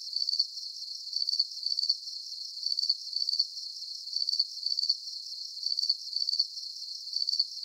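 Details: Chirping crickets from a calm night soundscape, with bright, buzzy pulsed chirps grouped in twos and threes, repeating roughly every half second against a quiet background.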